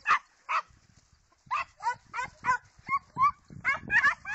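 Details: Segugio Italiano hound barking in quick succession, about ten loud, rough yelping barks in four seconds, coming faster toward the end.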